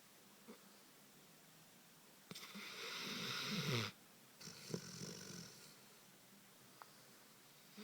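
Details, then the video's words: Dogo Canario snoring in its sleep: a single long, raspy, rising snore in the middle of the clip, then a shorter, softer wheezy breath, with quiet pauses between. "Dogo canario schnarcht- dog snores"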